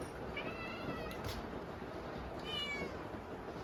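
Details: Kittens crying for food at dinner during a typhoon: two high, wavering meows, one near the start and a stronger one about two seconds later, heard against continuous loud rain.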